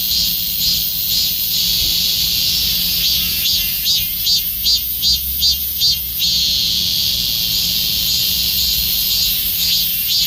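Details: Summer song of a Korean cicada, a loud continuous high-pitched buzz that swells into a run of regular throbbing pulses from about three to six seconds before settling back to a steady drone.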